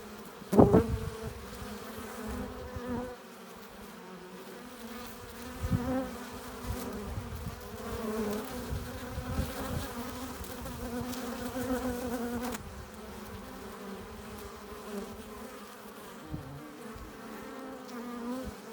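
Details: Continuous hum of many honey bees at the hive entrance as they arrive carrying pollen and nectar; a low, even drone with loud close passes near the start and scattered swells as individual bees fly by.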